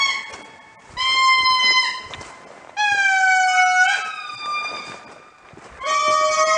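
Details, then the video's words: Morning chorus of indri near Andasibe in Madagascar, long eerie horn-like wails with rich overtones, each held note sliding gently, delivered in three loud bursts separated by brief softer pauses. "Indri Call"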